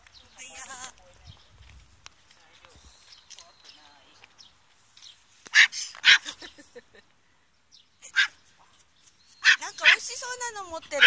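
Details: Chihuahua on May 28 giving bursts of sharp, high yapping barks in two clusters, interleaved with a person speaking and a quiet stretch in between.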